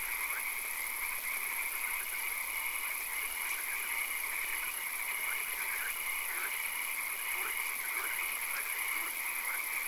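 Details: Night swamp frog chorus, dense and continuous, with short evenly spaced piping notes recurring through a steady droning hum and a high thin hiss.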